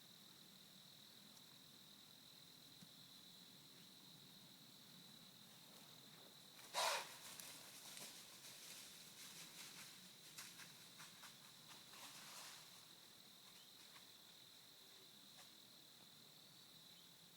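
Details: A deer in a family group gives one loud, harsh blown snort over a constant high insect hum, then the deer all run off with rustling and crackling; the filmer doesn't know what the noise meant.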